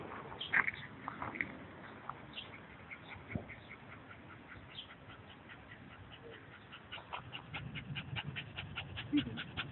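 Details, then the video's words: Scottish Terrier named Lassie, playing with a ball, gives a series of short high whimpering yips that quicken into a steady rapid train over the last few seconds, against a low background hum. "Scottish Terrier Lassie Having A Ball"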